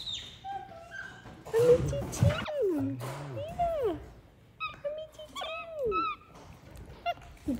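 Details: Pet monkeys spending a morning with family, giving high, clear whistled calls that bend upward and fall away in short repeated phrases, mixed with a person talking and handling noises early on.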